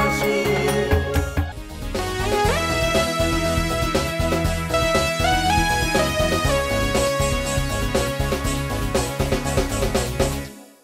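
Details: Upbeat instrumental music with a steady beat fills the whole stretch and fades out at the end, with no animal sound.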